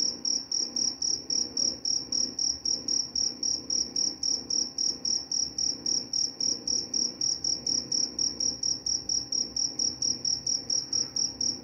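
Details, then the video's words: Cricket chirping steadily, a high pure trill pulsed about four times per second, each chirp evenly spaced and unbroken throughout, over a faint low background hum. "Suara jangkrik pengantar tidur dan juga mengusir tikus."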